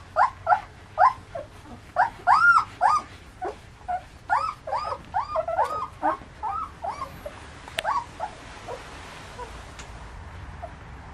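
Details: Fifteen-day-old German shepherd puppies, ATS line, give a run of high squeaky whines and yelps, arched notes falling in pitch, quick at first then spacing out and fading after eight seconds into a faint hiss.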